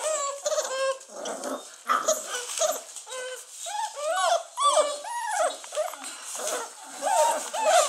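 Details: Several 43-day-old Basset Hound puppies whine together in thin, overlapping squeals that swoop up and down almost continuously, with a few rougher, grumbling notes among the high whimpers.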